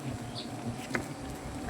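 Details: Honey bees at a comb in a banyan tree in Gazipur during honey collection; a low, even buzzing drone fills the short stretch, with a faint click and light background noise.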